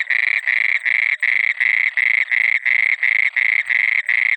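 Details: Nocturnal frog near water croaking in rapid, regular bursts, each a short rasping pulse, about ten in four seconds, loud and unbroken.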